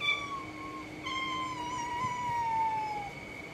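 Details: Cat meowing: a brief level cry, then one long drawn-out call that slowly falls in pitch over about two seconds, over a constant faint background tone.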